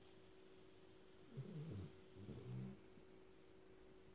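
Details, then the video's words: Black Labrador puppy asleep among a trio of Labradors, snoring loudly: two soft, low rasping snore breaths about a second apart over a quiet steady background hum. "Snoring Labrador puppy"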